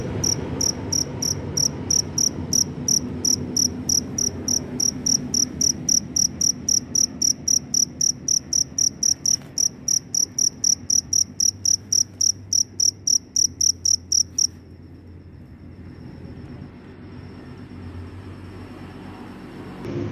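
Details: Very loud cricket chirping after rainfall while wandering in search of a mate: high, pulsed chirps repeated about four times per second for fourteen seconds, then stopping abruptly, leaving low background hum.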